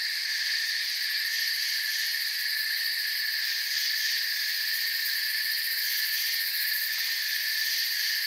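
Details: Crickets chirping in a forest form a constant high-pitched shimmering chorus, its layered trills steady and even, with no other animals or background noises standing out.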